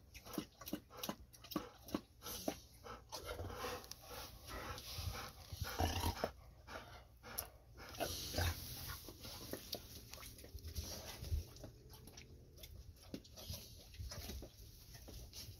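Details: After a walk, the Golden Retrievers Ibuki and Kohaku drink a great deal before snack time. Busy, uneven lapping and splashing ticks follow one another throughout, some louder slurps mixed in, over steady room hum.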